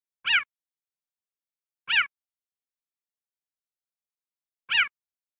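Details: A male cheetah in Kruger National Park, South Africa, probably seeking a mate in the mating season, gives three sharp, high, bird-like chirps spaced a second or more apart, among stuttering calls.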